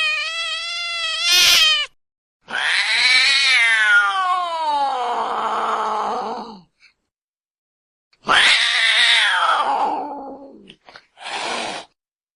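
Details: Cat in the water crying for help, giving loud, harsh wailing cries. The long calls start high and slide steadily downward, becoming rough and strained, with gaps of silence between the bursts.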